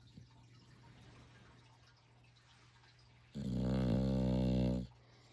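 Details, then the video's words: A puppy asleep lets out a single drawn-out snore after a quiet stretch, a low, steady, rattling drone lasting about one and a half seconds before fading back to near silence in a small room. "Snoring puppy"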